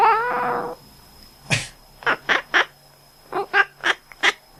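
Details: House cat, resting, reacting to its owner's cough with quacking calls. A drawn-out harmonic sound opens, then one cough, then seven short, nasal, clipped chirps in two bursts of three and four, all inside a quiet room.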